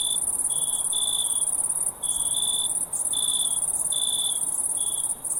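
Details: Crickets calling at night, uneven bursts of high chirps, some short and some stretched, over a steady piercing trill of other insects, with brief quiet gaps.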